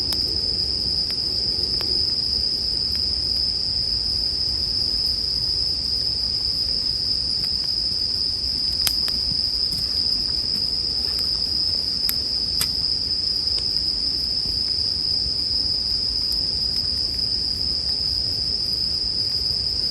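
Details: Bell cricket song layered with a wood fire, meant as soothing sleep ambience: an unbroken, piercing high ringing note fills the whole passage, punctuated by scattered crisp crackles and a couple of louder snaps.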